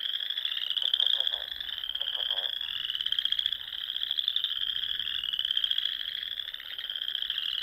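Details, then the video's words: Frogs singing in spring among the rolling dunes of Nebraska's Sandhills, near small lakes and ponds at dusk: a dense, continuous high trilling chorus with overlapping pulsed voices and brief lower croaks. "RELAXING SOUNDS OF FROGS"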